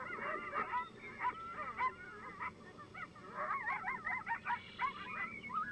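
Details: Several coyotes vocalizing together in a group yip howl, a very common call made to mark their territory's location to coyotes in nearby territories; wavering high yips and quavering howls overlap in bursts, rising and falling chaotically.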